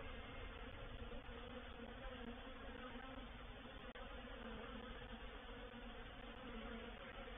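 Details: Reproductive swarm of honey bees moving into a bait hive, or swarm trap, recorded 04/07/21; a dense, steady droning hum with layered low tones, unbroken throughout, with no other clear sounds.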